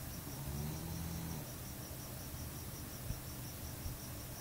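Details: Staffordshire Bull Terrier snoring at home: one low, droning, rumbling breath lasting about a second, then steady room noise, with a faint, rapid, pulsing high hum running throughout.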